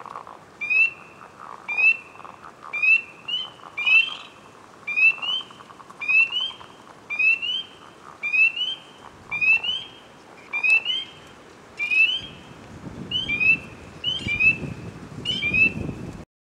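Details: A single frog, closely watched at a water's edge, calls with ripples spreading around it. Short high chirps repeat roughly once a second, each opening with a quick downward sweep, over a faint low background murmur.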